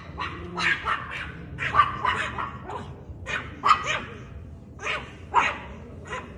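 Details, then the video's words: Small Chihuahua dog aiming barks at a cat; short, harsh, broadband yaps come in uneven bursts of two or three, with background clatter and low noise underneath. "Cute Chihuahua Dog Barking At A Cat"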